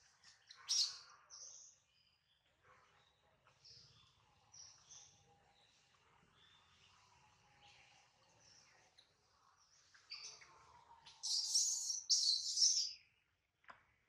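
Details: Baby monkey named Adler, held by a small monkey, crying because he misses his mother and is hungry; shrill high squeals burst out near the start, then a louder cluster of piercing cries late in the clip, with quieter chirps between.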